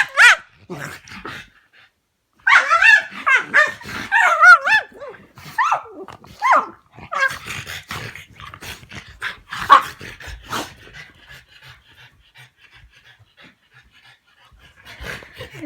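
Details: Playing dogs, a Staffordshire Bull Terrier and a French bulldog and pug mix, making funny noises: bursts of high, wavering whines and yelps, sharp barks and grumbling growls, then quieter snuffles and a few scattered yips.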